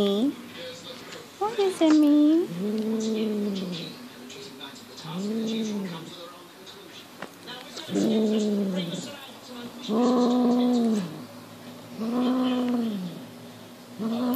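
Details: Highland Lynx cat aged six months guarding a fox tail in play: a series of about seven rounded, swelling yowls, each near a second long and spaced roughly two seconds apart, with Dutch speech and clicks at the start.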